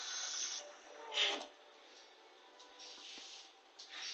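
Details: NANA, a short-legged Corgi, snores while asleep after a bath: soft breathy hissing bursts, one longer breath then a sharper puff, and two more airy exhales near the end, with a steady quiet background.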